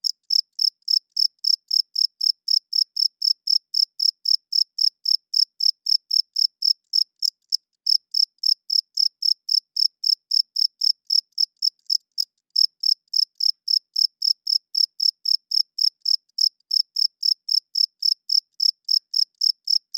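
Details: Male cricket calling at night, producing sound with its wings to attract females and establish territory. A long run of rapid, high chirps at about three to four per second, broken by two brief pauses near 7.5 and 12 seconds.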